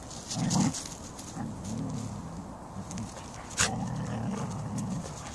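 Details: Siberian Huskies and a Samoyed in beautiful weather give low, grumbling, moaning vocalizations in repeated bursts, with a brief sharper yelp near the start and a short clatter midway.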